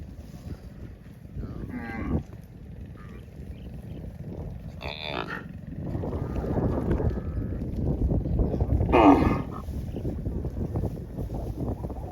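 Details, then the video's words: Cattle driven by cowherds toward the farm through wide green rice fields give three separate moos, one of them loud and strained near the end, above a constant low background rumble. "Funny Cow Sounds"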